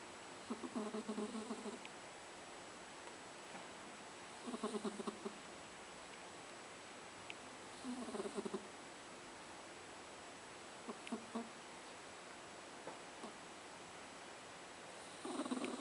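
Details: Persian cat snoring while asleep with its eyes open, a soft low rasping snore in short bursts about every three to four seconds, quiet room between breaths.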